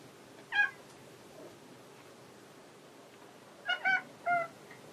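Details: Cat Hanu calling while searching for Monaka, another cat: one short harmonic-rich meow, then after a quiet gap three quick meows in a row, each brief and slightly falling, over a faint hiss.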